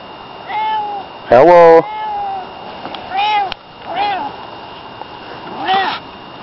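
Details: Barney, a pet cat, meows back while a person keeps saying hello. His meows sound like a greeting: several short, arched, tonal meows rising and falling, answered once by a loud human hello.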